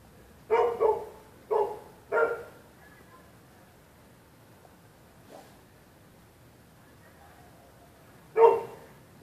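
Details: Night barking by neighbours' dogs reacting to people on the public sidewalk: a quick double bark, two more in close succession, a faint one, then a loud final bark after a pause.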